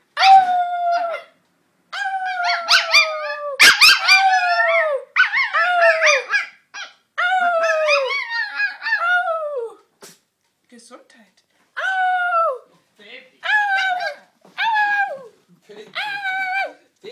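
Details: Grisha, a Bolonka Zwetna dog, vocalising in a long run of short whining howls, each dropping in pitch and ending in a squeak, delivered in quick bursts with short gaps, becoming sparser toward the end.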